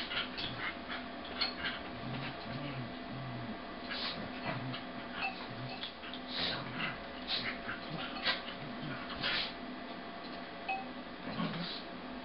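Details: Half-speed recording of a red and white male corgi vocalizing during play-wrestling with a sable female: low, voiced grumbles and rough growling bursts come in irregular clusters, mixed with scuffling and clicking noises.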